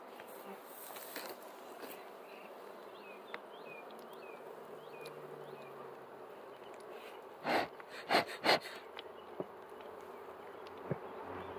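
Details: Bees buzzing with a steady low drone and faint background hum, with three brief louder buzzing bursts near the end.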